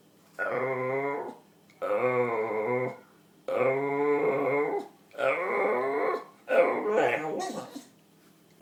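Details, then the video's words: Pet dog indoors reacting with odd noises when pointed at, five separate drawn-out moaning whines about a second long each, fairly steady in pitch, the last one rougher, separated by short silences. "Dog makes hilarious noises"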